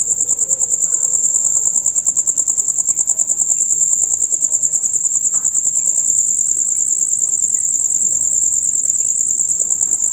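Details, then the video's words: Male crickets in a loud night chorus, heard from dusk until dawn: a dense, rapid high-pitched trill pulsing continuously without pause, with faint low background rumble. "Crickets on Concert"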